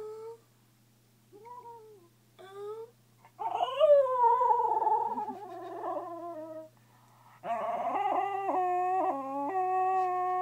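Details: Pet dog singing in its sleep: soft whimpers, then wavering mid-pitched howls that slide up and down, pausing, then a steady howl stepping between held notes; faint background music and a woman's voice nearby.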